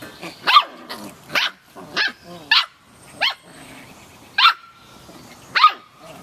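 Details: Samoyed puppies at play, giving sharp high-pitched yapping barks in an uneven series, about seven short bursts spaced roughly a second apart, with faint scuffling between them.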